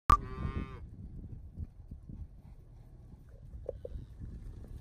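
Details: Herd of Charolais cross, Red Angus, Beefmaster and crossbred cow-calf pairs, cows aged 2-7 years with calves 1-4 months old; one short harmonic bawl opens the clip, then only quiet low rumbling background.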